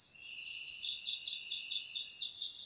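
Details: Crickets offered as ASMR sound for driving rats away naturally: several steady, shrill high-pitched trills overlap, and from under a second in a pulsed chirp runs in quick, even beats of about four per second.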